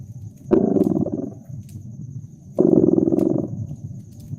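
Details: Cat purring in a cozy winter scene by a fireplace: two strong, rough, vibrating rumbles nearly a second each, two seconds apart, with a low hum between them and occasional crackling of the fire.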